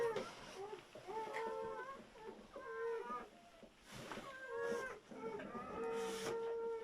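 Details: Newborn German Shepherd puppies from a litter of seven, just after whelping, squeal in overlapping high, harmonic cries: short squeaks and a few held, level notes, several voices at once, with soft background rustling.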